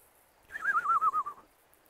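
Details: Kangal shepherd dog named Zalim, stranded on rocks, gives a single high, wavering whine lasting about a second, its pitch trembling and slowly sliding downward before fading out against a quiet background.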